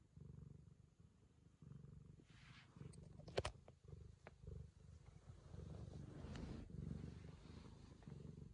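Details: Purring Ragamuffin cat licking the owner's daughter out of affection; the low rumble runs throughout, broken by rustling and a sharp click near the middle before resuming louder.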